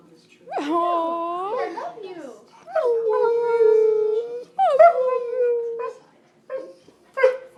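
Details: Part husky, part Malamute dog talking indoors: three clear, drawn-out howl-like notes that rise at the start and hold steady before tailing off, followed by short yips and whimpers.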